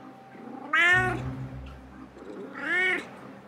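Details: GorGor, a domestic cat jealous of his feline housemate, voicing his frustrations indoors: two drawn-out, harmonically rich meows about two seconds apart, each rising then falling, over a low steady hum.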